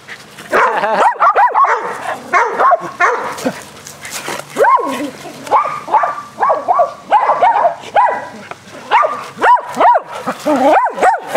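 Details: Four dogs play aggressive fetch on a spring day, barking excitedly. A dense, overlapping stream of mid-pitched barks and yips runs almost continuously, several dogs sounding at once.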